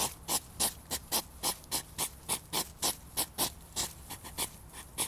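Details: European hedgehog during mating, described as a hedgehog fight. Rapid, breathy puffing snorts repeat about three to four times a second, each a short broadband huff, over about five seconds.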